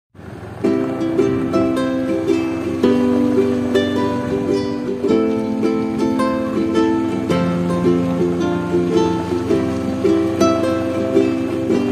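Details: Cheerful ukulele strumming with a light melody starts after a brief silence and continues to the end, with no cattle or other animals audible.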